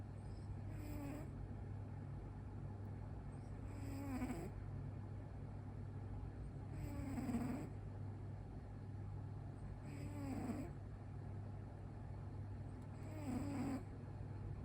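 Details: Domestic cat asleep, eyes rolled back showing the whites, snoring heavily: five breathy, droning snores spaced roughly three seconds apart, softer and rougher than clean tones, with a constant low hum beneath.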